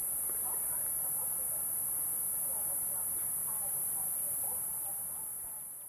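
A cicada's steady, very high-pitched buzzing hiss carries on without a break, with faint voices underneath.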